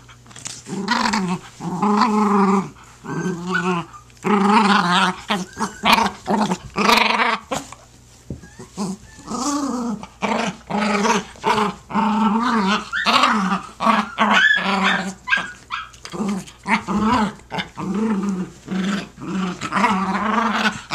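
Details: Jack Russell Terriers playing tug of war with a blanket, growling in repeated bursts of rough, throaty rumbles separated by short pauses, continuing steadily throughout, indoors.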